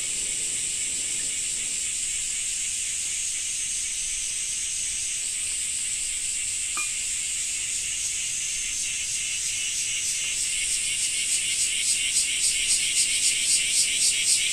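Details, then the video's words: Cicadas in summer in Japan, rain noted: a continuous shrill buzzing drone that later turns into rapid throbbing pulses as the volume swells toward the end. "Japan Rain Sound 5of2 - Cicada 2"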